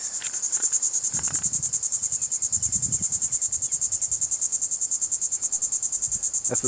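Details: Small swamp cicadas in Seabranch State Park, Florida, give a loud, high, pulsing buzz that rattles like a shaken maraca, unlike the steady drone of larger cicadas.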